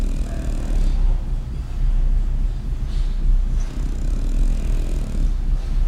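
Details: A French Bulldog snoring in a way described as gloomy: a deep, low rumbling snore, heavy and steady, with breaths swelling and fading roughly once a second, and little else audible.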